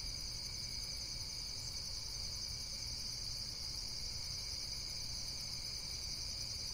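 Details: Insects trilling nonstop in a high, even chorus with a slight wavering pulse, backed by a continuous low background rumble.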